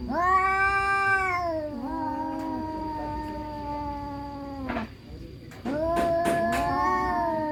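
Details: Orange cat versus black cat fighting: drawn-out growling yowls, a long wail ending in a brief pause, then a sharper renewed yowl with short clicks and scuffs, over a constant high whine.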